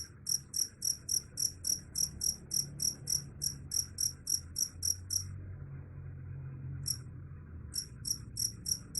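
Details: Cricket, said to drive away rats, giving loud high-pitched chirps in quick regular pulses, about three or four per second, pausing near the middle before resuming, over a low background hum.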